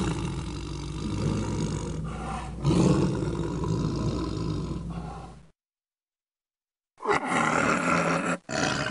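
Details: Tiger roaring steadily for several seconds in a low, throaty rumble, then a sudden gap of silence before more harsh roaring bursts resume.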